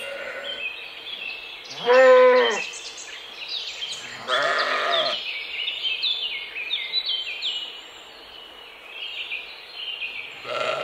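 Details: Mouflon, a wild sheep, calls twice: a loud quavering bleat, then a softer one about two seconds later, followed by steady high chirping and twittering in the mountain forest background and another bleat beginning at the end.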